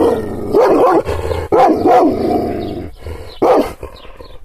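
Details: Angry Kangal shepherd dog, provoked by hand gestures without being touched, giving three loud, deep barks in quick bursts, with rough growling held between them.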